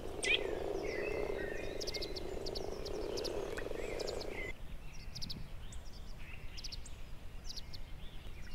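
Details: Common frogs in a spring mating chorus in a protected forest south of Moscow on the Oka: low, purring overlapping croaks for about four seconds, on early warm sunny days after hibernation; thin high chirps from small birds above.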